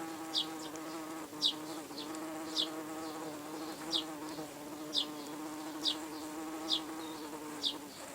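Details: Red-tailed bumblebees at an excavated ground nest under attack by wasps and ants, the bees defending themselves. A steady low droning buzz with rich overtones runs throughout, while a sharp high chirp repeats roughly once a second.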